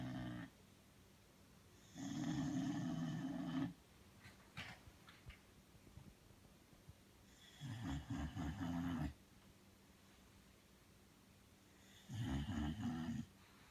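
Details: Deeply asleep, Belle the Bulldog gives three loud, rough snoring breaths, each lasting one to two seconds, spaced several seconds apart, low and gravelly with faint rustling between them.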